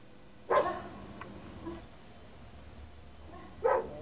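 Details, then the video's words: A pet German Shepherd barks in reaction to recorded dog barking sounds. Two sharp single barks about three seconds apart with a faint yelp between them, over quiet indoor background hum. "our gsd barking at dog barking sounds"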